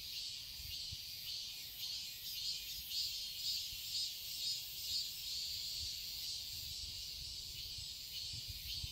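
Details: A garden in Seoul, Korea, holds a steady high cicada drone through summer, beating in regular pulses about twice a second, with light low rumbling underneath.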